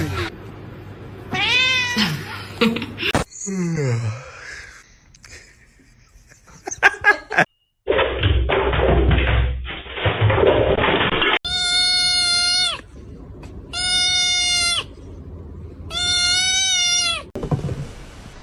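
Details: Crying kitten heard in a short funny-cats segment: one early wavering meow, then later three evenly spaced, flat, sustained cries of about a second each, separated by pauses, with voices, thuds and a burst of noise between them.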